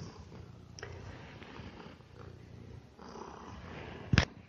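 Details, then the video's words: Male domestic house cat purring while eating in a home; continuous low rumbling purr, then a sharp clatter near the end. "Cat Purring & Eating"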